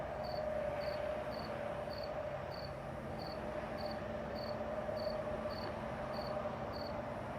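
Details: Summer-night crickets in Missouri and Illinois in the Midwest repeat brief, high-pitched chirps at a regular pace of roughly two per second, layered over a continuous mid-pitched insect drone.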